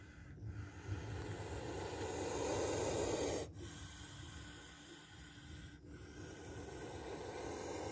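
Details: Spectacled cobra filmed as it strikes at close range: a long, rough, breathy hiss of about three and a half seconds swells and then stops abruptly. A shorter, fainter hissing exhalation follows over low background rumble.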